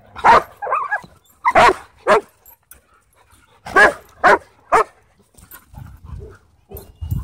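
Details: At a dog park, a husky plays with challenging dogs: loud, sharp barks come in clusters of two or three, followed by quieter rumbling growl-like sounds near the end.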